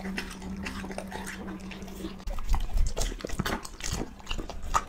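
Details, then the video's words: A pet dog being fed; a steady low hum at first, then loud crunching bites and chewing bursts fill the second half. "Feeding Dog 寵物吃播"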